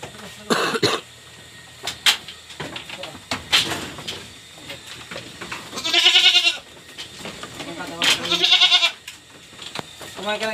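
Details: Pregnant goats on a backyard farm, about to be fed ipil-ipil leaves. A man speaks in Filipino at the start, then two loud, quavering bleats follow a couple of seconds apart.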